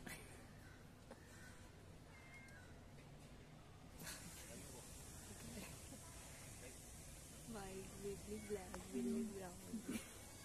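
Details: Kitten and cats eating cat food in a residential society; a faint, drawn-out wavering meow arrives late, over a steady background hiss, with a person talking nearby.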